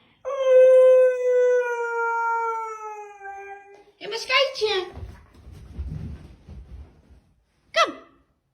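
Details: Dog giving a long, steady howl that holds one pitch for about three seconds and sinks slightly at the end, followed by short rough yelps and a brief sharp final cry.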